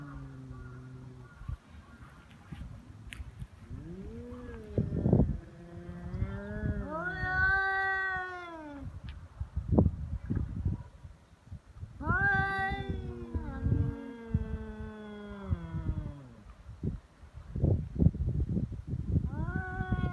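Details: Stray cats in a serious fight on 22 February, Japan's Cat Day, threats failing to make either back down: drawn-out low moans swelling into loud rising wails, several overlapping yowls with bursts of scuffling noise.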